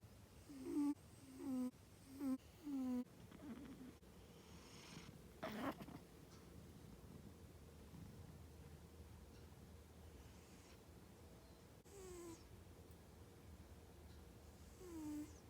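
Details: Sleeping domestic cat snoring: four quick squeaky, nasal tonal bursts at the start, about one every 0.7 seconds, then a quieter stretch with a faint snort and two more soft squeaks.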